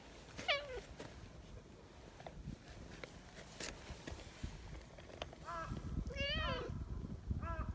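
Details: Silver tabby community cat, sociable and talkative, meowing outdoors by a bench: a short meow, then after a pause a quick run of wavering meows, one long and bending, amid rustling and faint voices.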